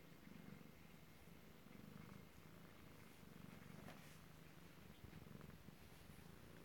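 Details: Purring kittens recorded close-up indoors in Alabama on 7 February 2018: a faint, low, rhythmic rumble pulses on and off steadily throughout, with no voices.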